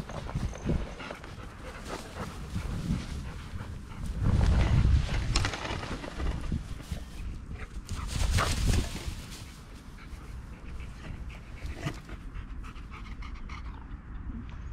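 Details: Seven Golden Retrievers out walking in Ain village on 25 March 2021, a mother aged ten years eleven months with five offspring from two to nine years old. Quick ragged panting, roughly four breaths a second, over outdoor rumble and rustling.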